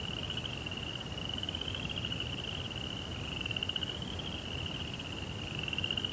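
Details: At night, crickets trill continuously in a high, beaded buzz, overlapping callers shifting slightly up and down in pitch, with a faint low rumble beneath.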